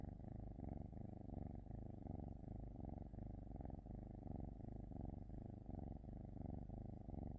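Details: Steady cat purr, a rich low rumble rising and falling in quick repeated breath cycles roughly every half-second to second, otherwise quiet.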